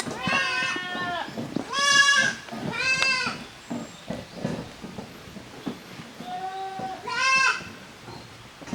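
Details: Young goats at a handmade goat farm, Koharu's kids and Okayu's kids, at play in two teams in the yard on 13 June 2023. Loud, quavering bleats follow one another in quick succession, then a pause, then two more bleats near the end.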